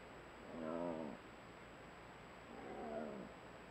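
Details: Wild jaguar in a mangrove habitat of Nayarit, western Mexico, recorded by a monitoring camera trap: two faint, low, throaty harmonic grunts about two seconds apart against steady background hiss.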